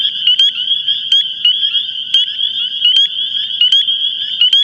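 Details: Dense spring chorus of male Spring Peepers at Long Island wetlands, voices blurred into a continuous piercing high drone, studded with short upslurred peeps every fraction of a second and occasional sharp clicks, over a faint low background murmur.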